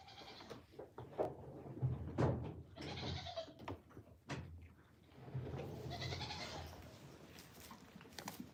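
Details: Farm goat heard in several short nasal bleats among thumps and handling noise, ending in a longer quavering bleat over low background rumble.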